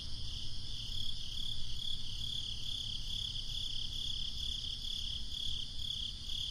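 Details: Summer night crickets, continuous high-pitched pulsed chirping, roughly two pulses a second, with a dull low rumble of wind or distant traffic underneath.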